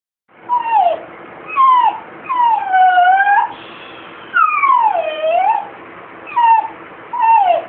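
A Basenji cries in drawn-out, wavering whines that slide down and bend back up.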